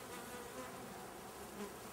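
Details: Honey bee swarm under inspection, with powdered sugar dusted on as extra protection against varroa mites: a steady, dense hum of many bees, even in loudness throughout, broad and droning with no clear breaks.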